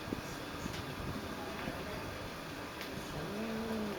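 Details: Piccolina, a territorial female house cat and former stray, confronting an unfamiliar stray cat on a balcony; a low, drawn-out moaning yowl with a slight rise rises near the end, over a steady background hum.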